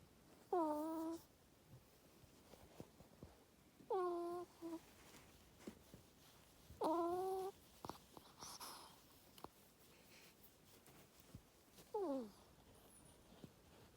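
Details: Pet ferret asleep in a cage in an owner's bedroom, kept there for monitoring because of an ear tumor; four short squeaky whines, each sliding downward with a harmonic tone, spaced about three seconds apart in a quiet room.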